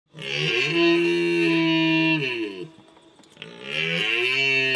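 A red deer stag gives a long, deep bellowing roar, then begins another after a brief pause.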